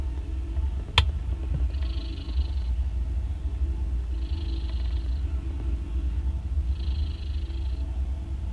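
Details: Loud snoring from a mother cat as her three day-old kittens drink milk: a steady deep rumbling drone, broken by airy hissing breaths roughly every two and a half seconds, plus one sharp click near the start.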